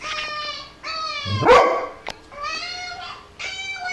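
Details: A puppy's high, drawn-out cries repeat indoors, broken once by a single sharp bark from Tom the dog responding to it, followed by a brief click.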